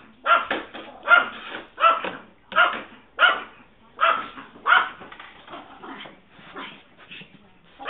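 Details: Excited Yorkshire Terrier taking off after a squirrel, captured on a mobile phone, giving a run of about ten loud, sharp barks at an uneven pace, then trailing into softer yips and fading barks.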